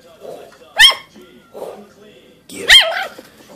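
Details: Five-week-old female teacup Yorkshire Terrier puppy, filmed in 2014, barking at her own image on a phone camera screen: two sharp, high yaps about two seconds apart, with a woman's encouraging speech between them.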